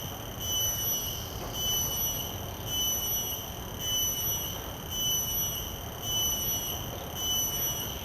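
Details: A common cicada's field call, captured on shotgun microphones, throbs in a high, metallic buzz. Rhythmic surges repeat roughly every second for the length of the recording, with faint low hum beneath.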